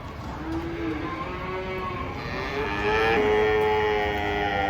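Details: Giant cattle unloading from a truck: low, sustained mooing that swells louder and brighter toward the end, over a steady background hum.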